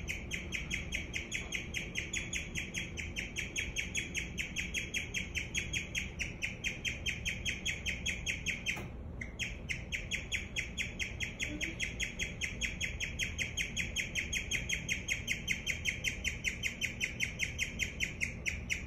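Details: Pet guinea pig giving a continuous stream of rapid, high-pitched chirps, evenly repeated several times a second, with one short pause near nine seconds and a faint low hum underneath.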